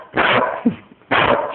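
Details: A female dog "talking" to her owner, telling about her day: two loud, rough barks about a second apart, with a brief soft whine-like sound in between.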